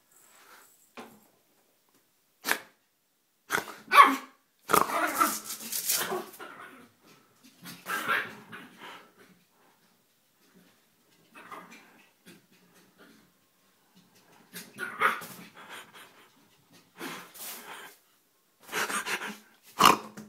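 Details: Feisty little 4 lb female Yorkshire Terrier playing indoors: sharp high barks and snarling growls come in clustered bursts, separated by silent stretches of one to three seconds.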